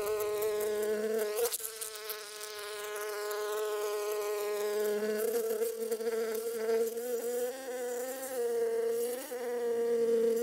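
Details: Bee among flowers, a sustained buzzy hum with a steady low drone and wavering higher overtones, rising and falling slightly in pitch over several seconds, with a brief dip near the start.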